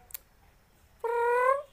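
A goat calls once with a clear, tonal bleat, held for about half a second and rising gently in pitch toward the end. A short click sounds just before, with otherwise quiet surroundings.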